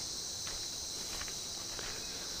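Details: Cicadas fill a dry secondary coastal forest on Matikuri Island, Marovo Lagoon, Solomon Islands, with a steady, high, hissing drone that never pauses, calling as the heat eases.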